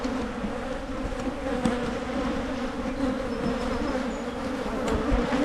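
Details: Honey bee colony being split in Michigan to head off swarming, giving a continuous, even drone of many wings, a low hum with a brighter overtone above, steady throughout with a few faint clicks.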